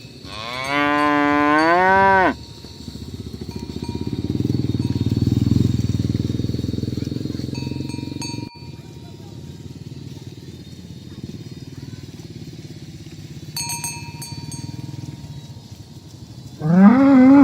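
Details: Tame cows herded along village roads toward the pen in the morning; a rising, harmonic-rich moo opens, followed by a long stretch of low rumbling noise, with a second moo starting at the very end.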